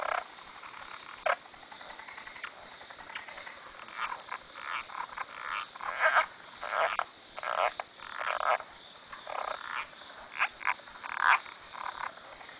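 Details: Many frogs calling around a dock on a farm at 2am: an overlapping chorus of harsh, rasping croaks in irregular bursts, some louder calls standing out against the steady night hum.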